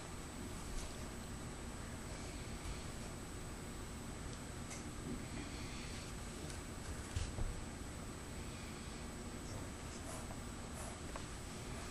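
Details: Low steady indoor hum with faint rustles and a soft knock, no animal voice heard.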